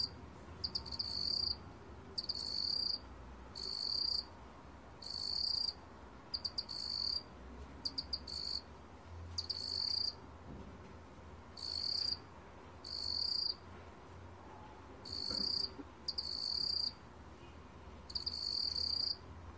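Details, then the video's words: Black field cricket from a 2020 Korean biological archive: a long run of high, shrill trilled bursts, about a dozen, each under a second with short leading chirps, fairly regular spacing over a quiet, hissy background. "먹귀뚜라미, 여러번 듣기, 곤충소리"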